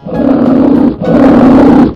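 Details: Polar bear giving two loud, deep, drawn-out roars of about a second each, separated by a brief gap, with faint music underneath.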